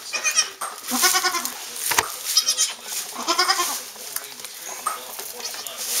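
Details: Newly born Saanen/Alpine kid goats on a hobby farm in May, repeated trembling high bleats in several bursts, mixed with people talking and handling noise.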